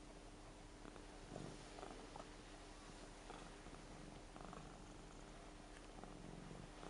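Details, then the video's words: Rara, a seven-year-old fluffy Ragdoll cat, snoring while asleep; soft breathy rasps come in short bursts roughly every second or so, over a steady low hum and faint background hiss. "もふもふ猫いびきグーグー ＝Fluffy cat's snoring＝"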